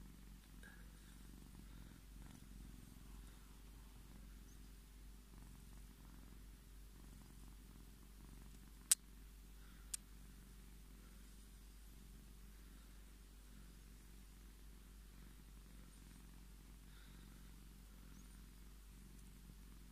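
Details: Long unbroken purring from Scottish Fold Tommy as he asks to be petted: a soft, low, pulsing rumble, interrupted only by two sharp clicks about a second apart midway.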